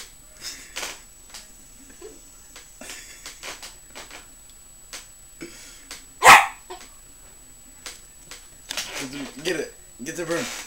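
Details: Pet dog barking at a broom indoors: short, sharp, scattered barks, one much louder bark midway, with a person's voice urging it on to get the broom near the end.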